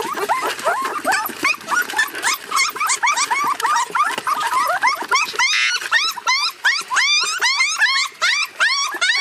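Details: A puppy left crying in its crate for hours gives rapid, shrill, repeated yelps and whines, each a sharp rising-then-falling squeal, about one per second, continuing almost without pause.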